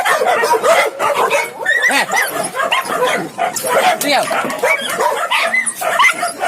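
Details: Indonesian village dogs at a large breeding farm in Indonesia, a breed used for hunting and house guarding, give a busy mix of short arched barks and yips over one another, with human speech mixed in.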